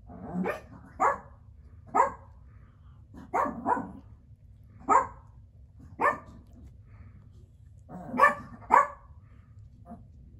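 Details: Biro Biewer terrier puppies barking indoors: short, high-pitched yaps repeated roughly every second, some in quick doubled pairs, around ten barks in all over a quiet room background.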